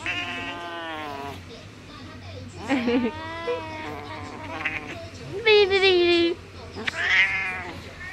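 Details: A 14-year-old female cat in Taoyuan, Taiwan, on February 19, refusing her owner's kisses and cuddles with loud complaining meows; several long, quavering meows overlap with a girl talking.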